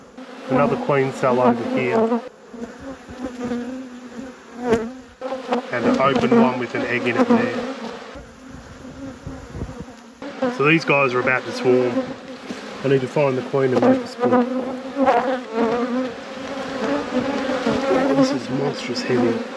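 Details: Bees from a busy beekeeper's apiary during a hive inspection, producing a constant low hum overlaid by surging bursts of louder, wavering buzzing. The bursts come and go several times, with quieter stretches of steady drone between them.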